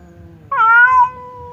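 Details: Behind a partition that stops a fight, the cats Temon, a fierce one, and Lelo, a quiet one, face off. A faint low moan leads into a sudden loud wail that rises slightly, holds, then eases off.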